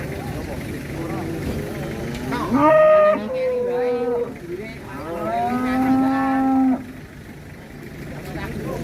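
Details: Qurban cattle coming down from a truck on arrival, some raging; two long, loud, strained moos, the second held steady for about two seconds, over background voices and a running vehicle.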